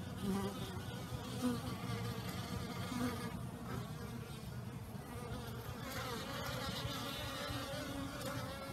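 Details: Honey bees all out on a warmer-than-usual day in the new year, after a night of torrential rain; a low, continuous hum of many bees with a few short louder buzzes from bees flying nearby.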